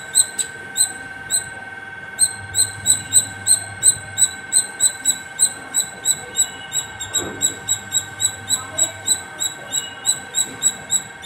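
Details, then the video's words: A squirrel sings nonstop from the top of a terrace, giving sharp, high chipping calls, about three per second, on and on without pause. "Non stop singing squirrel 🐿️ at the top of my terrace"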